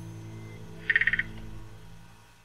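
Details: Threestripe croaking gourami, a small aquarium fish from central Thailand, giving a short croaking growl: six rapid clicking pulses in under half a second, low steady hum behind.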